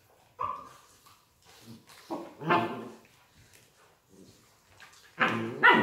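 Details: Collie puppies from an A litter born 21 January 2018, healthy and playful: a short high whine, then scattered sharp yappy barks in uneven bursts, ending with two louder barks.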